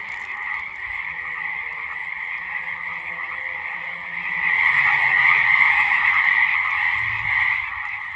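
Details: A loud spring frog chorus in a swamp or marsh, March 2022, possibly around Lake Tahoe, California: dense, buzzy trilling calls overlap into a continuous wall of sound.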